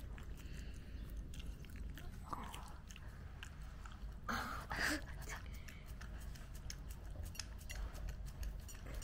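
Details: Mame Shiba dog Nezuko eating her first-birthday cake indoors, tasting cake for the first time: soft, low, wet chewing and smacking throughout, a louder burst of bites near the middle, over steady background room noise.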